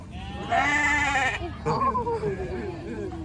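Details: Sheep giving a single quavering, nasal bleat lasting nearly a second, followed by people talking nearby.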